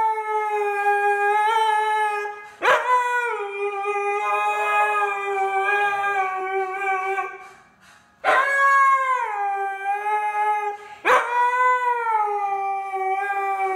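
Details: Indoor Siberian husky singing along to rap music with long sustained howls, each steady and harmonic-rich, broken by abrupt upward yelping onsets; three main phrases with a brief pause near the end.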